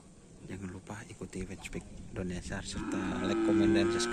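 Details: Karapan sapi racing cattle training at the Asemanis field: after busy overlapping chatter of men, a loud, sustained, even-pitched moo rises and holds to the end.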